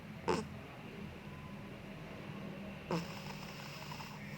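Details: Sleeping Bengal cat snoring: two short rasping snorts about two and a half seconds apart, each a broad noisy burst, over a steady low hum in a quiet room.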